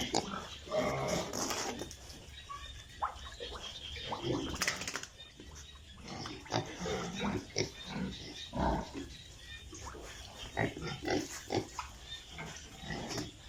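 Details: Piglets in a pig farm grunting and squealing in uneven bursts, with a sharp loud squeal midway and human voices mixed in among the animal sounds.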